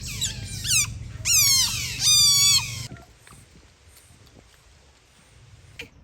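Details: Otter at play in daytime, calling in Lomphat, Cambodia: high thin squeaky whistles with falling harmonics in quick bursts over about three seconds, then quiet with faint rustling.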